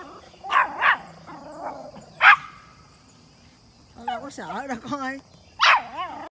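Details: Three Pomeranians in a back yard bark at a big deer, sharp, high yapping barks in short bursts, with a person talking between them.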